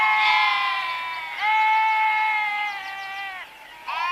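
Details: Sheep giving loud, harmonic bleats: a first cry, then a long, even, sustained bleat lasting about two seconds, a short quiet gap, and the start of another bleat.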